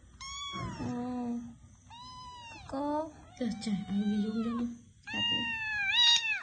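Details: Run of insistent cat meows, five calls in six seconds, each a bright harmonic tone; some slide down into a lower, wailing, caterwaul-like drawl, the last ones rising and bending upward, indoors with low voices nearby.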